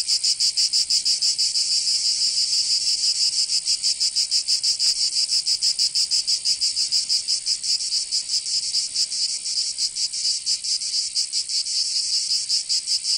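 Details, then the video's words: Cicadas in the southern French region of Provence during summer, producing a continuous shrill buzzing wall of sound with faster, less even pulsing and slight swells in loudness. "Canto Cigarra 🦗 [ Escuchar les cigarras en verano 10 H]"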